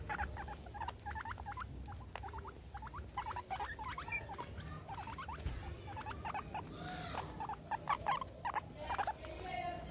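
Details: Meadow and Sandstorm, two pet guinea pigs playing with a soccer ball and an American football, squeak in rapid runs of short sharp notes, repeated in quick series over most of the stretch, above faint pattering.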